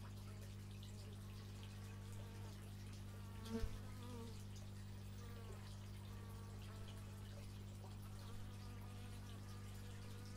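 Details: Bees droning steadily, recorded with an x/y stereo microphone; wavering flight tones rise and fall over a constant low hum, with one brief knock midway.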